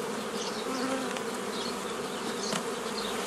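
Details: Dense, even drone of honey bees from a forager swarm being split into nucleus colonies, 15 May 2018, old method; steady humming with faint high bird twitters behind.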